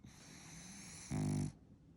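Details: French Bulldog snoring while sleeping indoors: a steady low breathing drone, then one short rough, rattling snore of about half a second.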